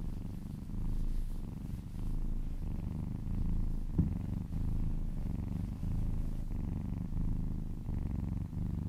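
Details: Purring kitten during a massage, licking along a person's arm; deep, even rumbling purr pulsing in slow waves, with a brief soft click near the middle.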